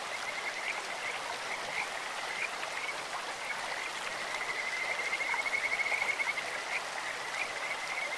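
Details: In a clear mountain stream a Kajika frog gives short high whistled notes, then a longer rapid trill that rises slightly. Constant hiss of running water behind, with other faint chirps.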